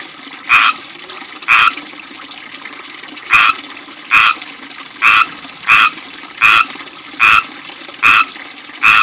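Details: Loud chirping from frogs settled in a small ivy-bordered backyard fishpond with a fountain; ten brief, clipped calls repeat roughly every second, standing out against continuous splashing water.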